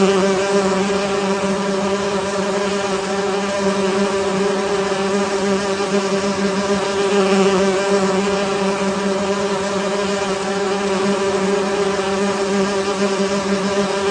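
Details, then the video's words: Honey bees in a beehive producing a steady, dense droning hum with a low fundamental and stacked overtones. The buzz holds constant throughout, with no pauses and only slight swells in loudness. "beehive buzz sound"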